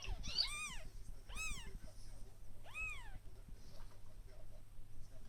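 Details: One-day-old kittens mewing: three high, arched cries, each rising then falling, spaced about a second apart in the first three seconds, followed by quieter background rumble and faint soft sounds.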